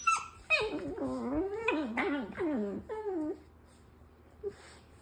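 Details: A pet dog makes a run of funny noises: quick yelping whimpers that rise and fall in pitch, about four wavering cries in three seconds, then near silence in a small room.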